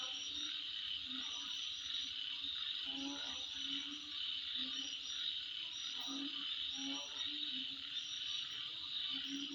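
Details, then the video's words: Midnight insect sound: a sustained high, shimmering buzz with intermittent sharp chirp bursts, while low frog-like croaks sound every couple of seconds underneath. "Sound Of Insect At Midnight"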